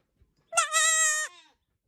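A young goat gives a single high, quavering bleat lasting under a second.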